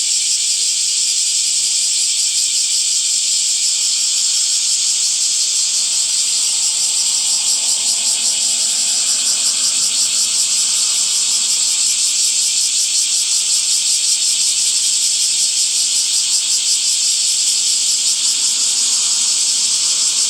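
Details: Summer cicadas singing in trees: an unbroken shrill buzzing wall of sound, finely pulsing and constant in loudness over twenty seconds, with a faint low rumble beneath.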